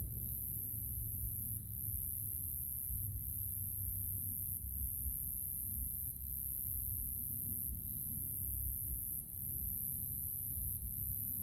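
Crickets give a thin, very high continuous trill at dusk over a low rumble of wind or distant traffic.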